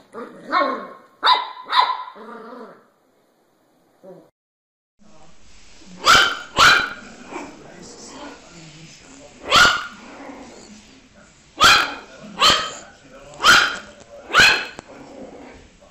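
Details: Puppies give a pair of harmonic yelping barks, then after a brief quiet spell a run of about eight sharp, loud barks at irregular intervals over roughly ten seconds.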